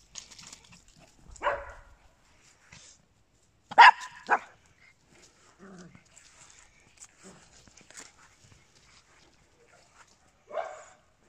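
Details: Papillons and a Yorkshire Terrier: sharp, high yappy barks come singly and spaced apart, a quick double bark near the middle, with quiet shuffling and small noises between them.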